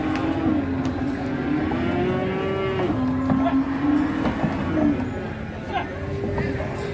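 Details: Cattle traded at Ngawi market and loaded onto three tronton trucks bound westward: one sustained, gently wavering low moo runs for about five seconds, with a brief call near the end, against constant voices and engine hum.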